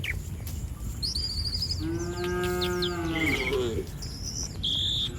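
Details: One village cow moos from a herd roaming the street in Indonesia, a single steady harmonic moo lasting about two seconds, while small birds chirp short high notes around it and a thin constant hum runs underneath.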